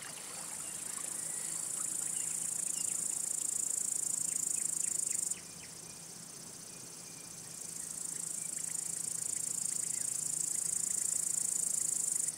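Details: A male cricket singing by rubbing its wings, a signal to attract or court females or scare away other males; a steady, high pulsing trill that pauses for about two seconds midway, with faint scattered chirps in the background.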